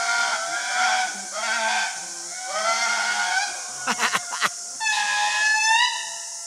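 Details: Indri lemurs singing in the Andasibe Forest, Madagascar, announcing their location to other groups and warning them off their territory: loud, eerie wailing notes that swell and glide, with a brief burst of human voices in the middle.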